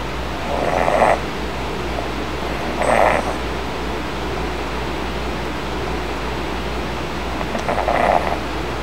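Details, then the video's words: Sleeping kitten snoring while resting on a soft, puffy bed as its older brother tries to nap nearby; three soft, breathy rasping snores about two seconds apart over a steady low background hum. "Snoring kitten aggravates older brother"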